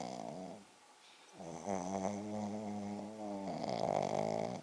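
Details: Loud snoring from Poko, a Pekingese fast asleep: a short pause, then a long, steady, rattling snore with a humming, tonal drone, growing louder toward the end.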